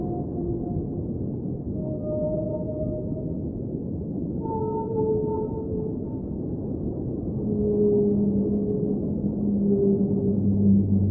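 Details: Underwater whale singing: a series of long, smooth tonal notes that step between higher and lower pitches, some held for several seconds, with a low tone rising in the final seconds, all over a steady deep rumble of water noise.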